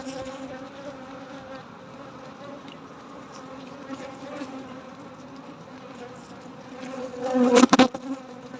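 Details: Steady low hum of honey bees during a night-time honey harvest, an even droning buzz throughout, with a brief burst of loud clattering near the end.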